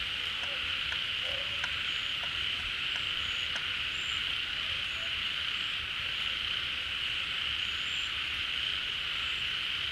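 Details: Rainy-season pond chorus of many frogs drawn to newly filled water after hiding or hibernating; a steady, thick high-pitched drone throughout, dotted with brief thin whistled notes and occasional low clicks.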